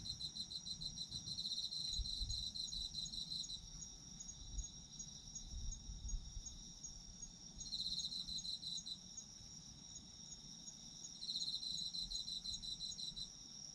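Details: Autumn insects chirping for sleep: a steady high trilling chorus with bursts of rapid pulsed chirps that swell and fade roughly every three to four seconds, over faint low rumble.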